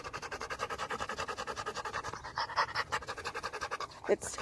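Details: Rottweiler panting during a walk: quick, breathy huffs in an even rhythm, a few rising bursts near the end and a short squeak at the close.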